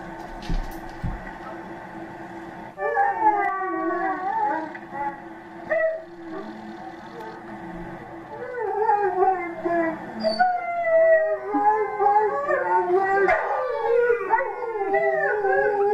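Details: Lexi, a rescued Alaskan Malamute one week in her new home, howls in long wavering tones that rise and fall, several overlapping voices in later seconds, after a quieter opening with faint background sounds.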